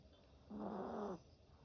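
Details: Yorkshire Terrier snoring while napping: one drawn-out, rough snore of under a second, low and buzzy with a faintly wavering tone, against quiet background hiss.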